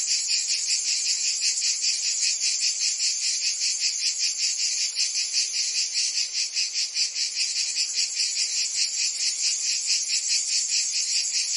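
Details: A summer chorus of cicadas in Provence, France: strident, sizzling high buzz swelling and fading in rapid beats around two and a half per second, constant throughout, with a slight dip midway.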